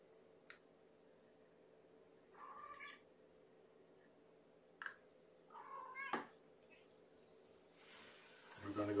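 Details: Starving kitten girl from Gamora's five-kitten litter mewing during bedtime feeding indoors; several short harmonic mews a few seconds apart among sharp clicks and handling noises, with a rustle at the end.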